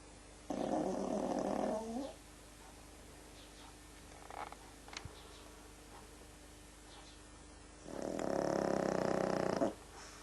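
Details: Frank, a pet pug, snoring while asleep: two long, raspy, rumbling snores, each lasting well over a second and spaced about six seconds apart, with near silence indoors between them.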